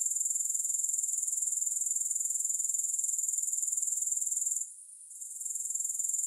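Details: High, thin grasshopper trilling, rapidly pulsed and steady, briefly dropping away near the end before resuming; no music or other voices.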